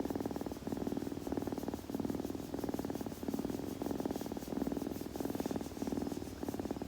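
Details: A kitten purrs steadily in an intimate ASMR recording, the buzzy rumble pulsing on and off with its breathing, roughly one cycle per second, quiet room background.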